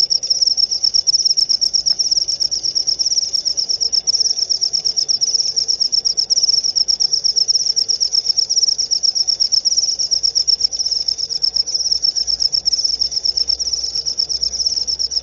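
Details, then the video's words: A cricket trills steadily in a rapid, shimmering stream of high pulses, with a low rumble of background noise. "Suara Jangkrik"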